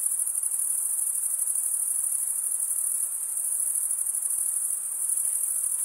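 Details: Chirping crickets, males stridulating with serrated wing veins, form a continuous piercing high trill, even and rapidly pulsed throughout, with soft background noise beneath and no other animals.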